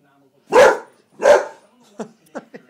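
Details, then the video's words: Boxer dog that speaks on command, giving two drawn-out, moaning vocal sounds about half a second each, followed by softer short grunts and snuffles. "the boxer dog who speaks"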